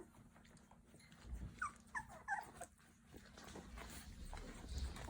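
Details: Labrador Retriever puppies, 20 days old, crying indoors; a few short high whimpers and squeaks cluster in the middle of the clip between soft rustling and breathing-like noise.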